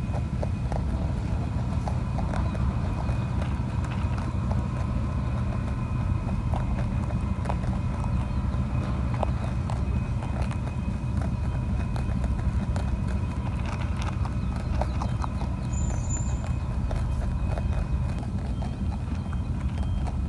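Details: Plump wild rabbit on Ōkunoshima, the Rabbit Island of Takehara, Hiroshima, Japan, eating pellets handed to it: crisp, rapid, irregular crunching clicks over a steady low outdoor rumble, with faint tonal beeping and a brief high chirp near the end.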